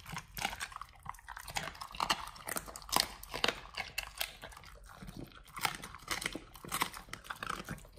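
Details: Pit Bulls eating raw food of beef trimmed chunks, quail eggs and duck wings: wet crunching and biting come in uneven bursts, with sharp clicks of bone and meat between short pauses, indoors.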